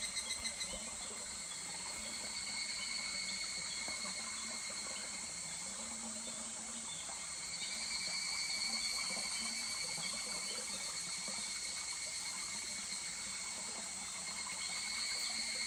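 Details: Higurashi cicada chorus on a July day by a babbling stream at Kuragari Pass. High, sustained ringing tones swell and fade slowly over the recording, with soft water murmur beneath.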